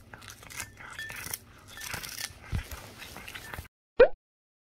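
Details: Cat chewing capelin: a run of crunchy, tearing bites and scraping clicks for about three and a half seconds, then a pause and a single short sharp tone.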